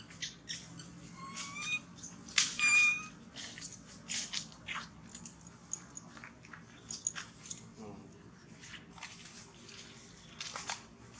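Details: Baby monkey Thona crying from hunger and begging mother Tara for milk after being refused; thin high-pitched squeaks and short rising whistled squeals come in quick bursts, with scattered clicks and rustling indoors.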